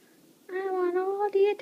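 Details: Bengal kitten, 13 weeks old, showing affection indoors: a drawn-out, steady harmonic meow lasting about a second, followed by a brief pause and a short second note.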